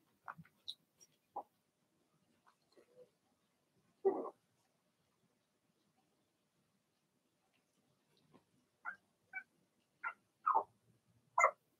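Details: Puppy pen full of young Blenheim Cavalier King Charles Spaniels, six littermates: scattered high, thin yips and squeaky barks, one louder bark mid-way, then a quick run of five yips near the end, irregularly spaced.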